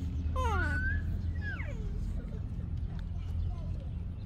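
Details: Baby monkey of Yaya, wanting Yoyo's milk, gives two bright harmonic cries, the first sliding down then climbing, the second a quick falling whine, over steady low hum.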